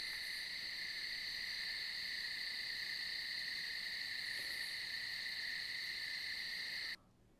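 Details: Cricket recording at normal speed: a steady, unbroken high trill with a fainter higher overtone. It holds evenly for about seven seconds, then cuts off abruptly.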